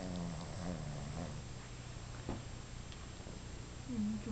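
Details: A 5-month-old Boston Terrier napping snores with low, rumbling breaths that rise and fade. Identified as a Boston Terrier.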